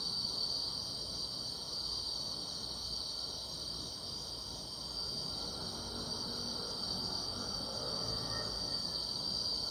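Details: Grass insects on a summer night, a steady unbroken high shrill drone holding one pitch throughout, with a fainter even higher band above it and a soft low rustle of background noise underneath.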